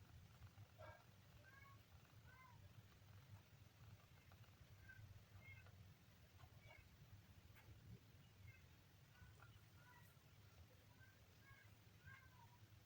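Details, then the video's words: Kitten on day 3 making a series of tiny, high, short squeaky mews scattered through the recording, each a brief harmonic chirp, with a constant low hum underneath. "kitten funny sound"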